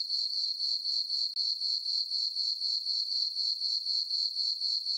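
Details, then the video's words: Crickets chirping through a peaceful summer night in a farm meadow under the full moon, a piercing, rhythmic trill pulsing about four times per second, briefly cut once, with no other sound. "Cricket chirping sounds for sleeping"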